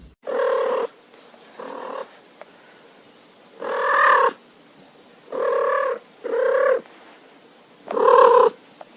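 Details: A domestic cat gives short, rolling, chirrupy trills, repeated several times; trilling is a nearly always positive greeting to people or other cats when excited and wanting attention, made with the mouth almost closed.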